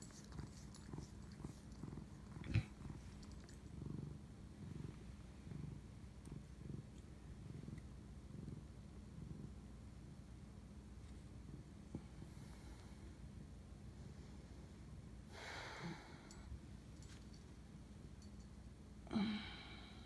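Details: A domestic cat purring while bonding with its owner at night, 11:07 pm on March 25, 2019: a soft, low, steady rumble with rhythmic pulses throughout, broken near the end by a couple of brief rustling bursts.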